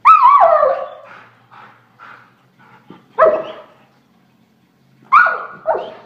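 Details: A pet German Shorthaired Pointer opens with a long wavering howl that slides downward, followed by short soft yips, then two sharp barks near the end.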